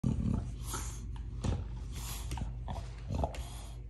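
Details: Lakai, an American Bully, growling low and rumbling while playing tug of war with his new toy indoors; a steady low growl with short snorting bursts near the start and middle.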